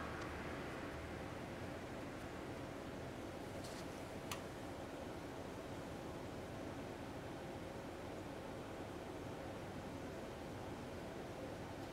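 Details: Quiet, even hiss of background noise with one or two faint clicks, with no animal sound.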